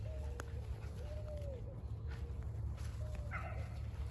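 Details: Forty-nine-day-old Border Collie pups, German father and Russian mother, filmed 7 June 2022; several drawn-out, gently bending whines follow one another, ending in a brief higher yelp, over low rumbling background noise.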